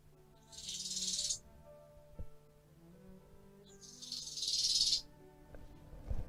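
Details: The third of three grasshopper types, the one most often heard in the countryside: stridulation by males, heard as two dry, high, rasping buzzes of about a second each.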